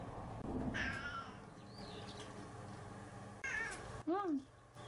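A domestic cat gives a clear, arching meow that rises and falls, with a person talking nearby.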